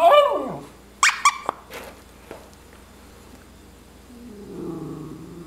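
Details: A Miniature Schnauzer playing with a puppet gives a short falling howl, then sharp yips and a low grumbling growl.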